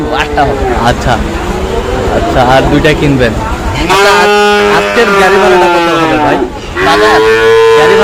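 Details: Repeated moos from cattle at an Eid cattle market in Manikganj, Bangladesh, on a rainy day when a Sahiwal bull is purchased; several sustained lowing calls overlap with men talking and traffic noise.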